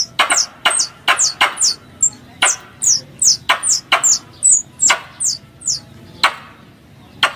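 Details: Squirrel chatter used as a hunting lure: sharp clicks, each followed by a thin falling squeak, fire in rapid uneven bursts, thinning out toward the end with longer gaps.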